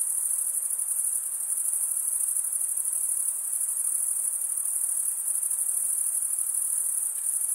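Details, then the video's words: Continuous cricket chirping from stridulating males, a thin, high, finely pulsed trill holding steady in level throughout, with a quiet background. "Most relaxing cricket sound"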